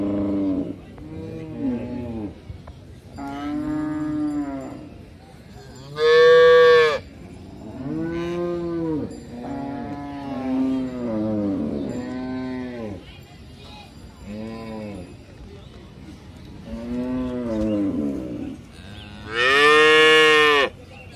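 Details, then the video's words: Cows moo in a long series of arching, harmonic-rich calls, mostly moderate in volume, with two much louder, strained bellows standing out midway and near the end. "Most popular cow video in the world"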